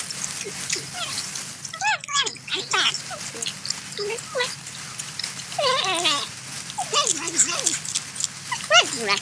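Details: Eating corn, a porcupine keeps up a busy stream of tonal whines and squeaky cries that bend up and down, some drawn out and wavering like a crying baby, amid light background hiss.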